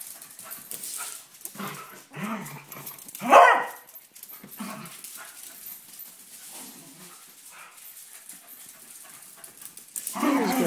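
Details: Two dogs, Binks and Shorts, wrestling in play; short harmonic barks and yelps come in bursts, one loud sharp bark near the middle, with scuffling and a person talking in between.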